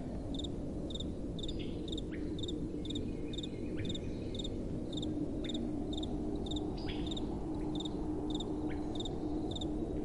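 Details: Crickets calling at night: regular high chirps in quick doublets, evenly spaced, with a soft continuous wind rumble beneath and a faint distant hum.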